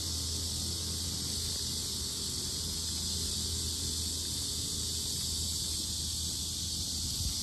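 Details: Loud cicadas around the lotus fields of Sinjeongho Lake in Asan, South Korea: a dense, unbroken high-pitched hiss-like drone that holds steady throughout, over a low rumble of background noise.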